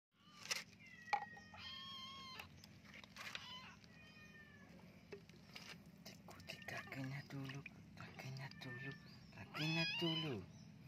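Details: Flea-ridden kitten being bathed, giving drawn-out harmonic meows early and again near the end, mixed with a person talking soothingly in Indonesian and splashing water.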